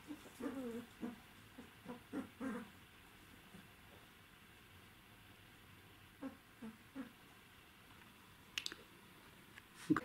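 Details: Twelve-day-old Czechoslovakian Wolfdog pups of Orizon and Rahan, indoors, 3 December 2020. A run of short, low, hooting whines repeats about twice a second, pauses, then returns in a few quieter notes, ending with sharp clicks.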